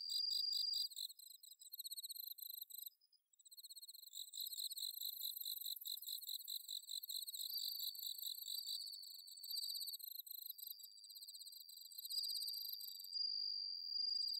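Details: Rice-paddy insects at Inba-numa, Chiba, Japan, on an autumn night, Zoom H6 recording: bell cricket ringing tones weave through steady pulsed chirping, briefly dropping out around three seconds before resuming densely.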